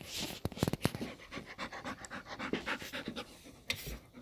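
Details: Golden retriever panting while playing with a cat: rhythmic, breathy pants in quick succession, with a few sharp clicks and knocks from the play.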